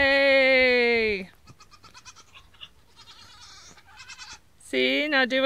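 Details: Nigerian Dwarf goat kid bleating on day one: a loud, high, strongly harmonic bleat lasting over a second and falling in pitch at the end, then quiet speech, then a second wavering bleat.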